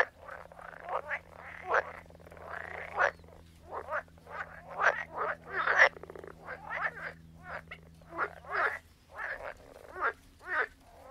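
Several frogs croak in short, raspy bursts that overlap, with a low steady hum beneath.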